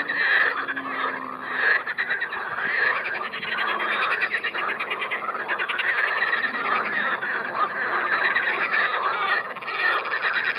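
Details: Edible frogs calling at Triolago, sitting far from the shore. A dense chorus of rattling, pulsed croaks overlaps without pause, with louder bursts standing out every second or two.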